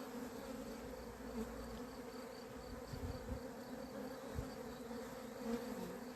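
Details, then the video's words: A beekeeper's honey bees on 28 April 2026, reportedly gone berserk, keep up a quiet, unbroken humming drone. Occasional dull low knocks sound around three and four and a half seconds. "albinele mele au luat-o razna"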